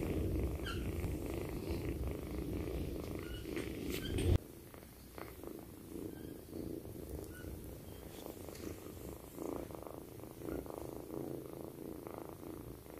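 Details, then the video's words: Twinkle, a kitten, purring loudly while sleeping beside her owner: a steady low rumbling drone with a soft pulsing texture, a brief louder rustle near the four-second mark, then continuous quieter purring. "KITTEN LOUDEST PURRING, WHEN THEY SLEEP BESIDE OWNER"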